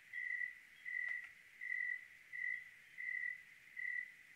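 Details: High, steady chirps from a cricket on a clear Oregon night, six bursts in four seconds at a fixed pitch, one soft click breaking the quiet between them.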